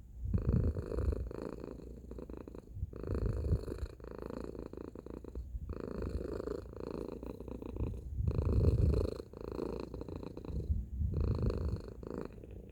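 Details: Tacy the domestic cat purrs loudly, a low vibrating drone broken into breath-length phrases of about two seconds, with brief quiet gaps between inhale and exhale.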